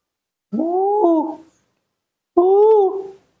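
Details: A hand-reared newborn monkey calls its mother indoors with two drawn-out, plaintive tonal cries, each about a second long and gently arched, separated by a brief silence. A woman's voice is heard nearby.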